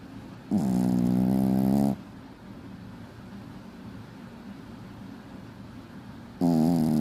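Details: Loud snoring from a sleeping puppy in a small room: a long, buzzy, rasping inhalation, a quiet pause of several seconds, then another harsh snore begins.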